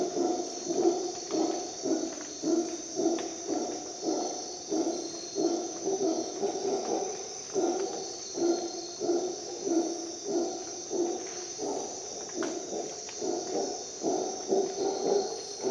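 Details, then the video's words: Howler monkey howling at dawn in Costa Rican rainforest: deep, rough pulsed roars repeated in a steady rhythm about every half second throughout, over a constant high-pitched insect drone. "Dawn in Costa Rica jungle - Howler monkey sounds"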